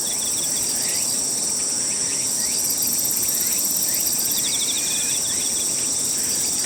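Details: Himegisu katydid at Toyanogata Park in summer, morning before cicadas begin, giving a fast ticking shiririri trill over a continuous shrill chorus of other insects.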